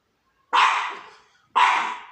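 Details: Small puppy indoors on a couch barking at the neighbours, two sharp yapping barks about one second apart, each bright and fading quickly, no other sounds.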